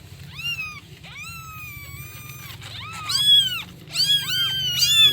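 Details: Kitten calling its mother: a string of high, clear meows, some long and level, others quick, arching cries that rise and fall and overlap toward the end, over a steady low hum.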